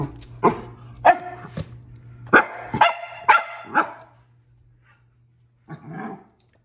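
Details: Lakeland Terrier barking excitedly after seeing a rabbit: a run of sharp, loud barks in quick uneven succession, about six in four seconds, then a pause and one softer, rougher bark; faint background hum.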